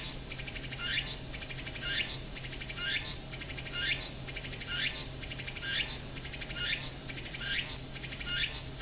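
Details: Walker's cicada (tsukutsuku-boshi) calling near Akisaizaki Station, Hiroshima Prefecture, Japan, recorded from the station waiting room; harsh, hissing buzzy phrases, each ending in a rising sweep, repeated steadily about once per second, nine phrases in all.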